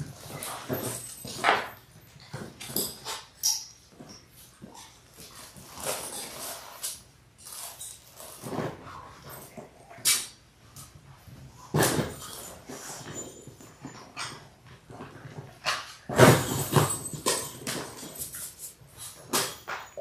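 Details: Six Labrador Retriever puppies in their sixth week, born January 18, 2022, recorded indoors by a live puppy cam on February 28: short whimpers and high yips come in irregular bursts among scuffling and clattering noises.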